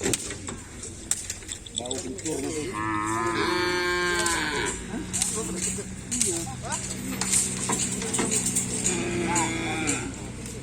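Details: Cattle at a kerapan sapi bull-race field: one moo of nearly two seconds rises out of a busy background of people talking, crowd noise and clatter, which continue after the call ends.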